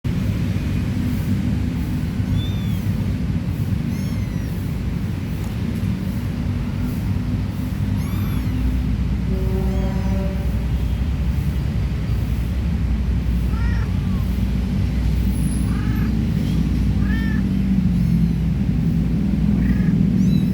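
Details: Stray mother cat with her three little kittens, being played with: thin, high arching meows come in scattered bursts, a few clustered near the middle and more toward the end, over a constant loud low rumble like nearby traffic.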